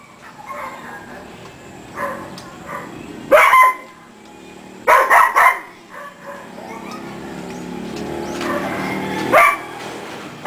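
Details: Barks from a household of three dogs called Her, Maxx and Skike: one bark, then a tight triple-bark cluster, a pause, and a final bark, with soft background voices and rustling between them.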